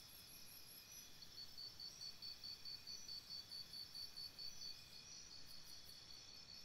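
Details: By a campsite at night, crickets chirp in a regular series of bright pulses, about two per second, from around one to five seconds, over a continuous high insect drone and a soft low hiss.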